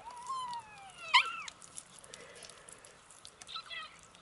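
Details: Kittens 27 days old mewing indoors; a thin, high meow falling in pitch, then a brief louder bent squeak near the start, with softer squeaky mews and rustling afterward.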